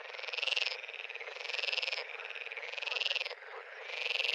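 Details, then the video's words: Pond frogs give loud pulsed, rattling trills, each lasting under a second and returning about every 1.3 seconds over a softer, steady background chorus of other frogs. "Frog pond"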